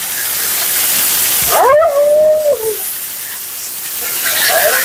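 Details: Mila, a female Siberian Husky at her second-ever grooming, gives one drawn-out, wavering howl-like cry during her bath and blowout. It rises sharply, then holds a level tone before dropping away, over a steady background hiss.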